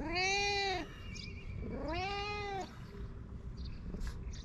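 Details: Two loud, clear meows from a fluffy cat in Japan, each an arched, nasal cry under a second long, spaced about two seconds apart, followed by faint rustling.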